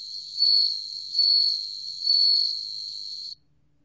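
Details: A bell cricket, recorded in Korea in 2020, rings out a high, pure, bell-like trill that swells and fades in repeated bursts.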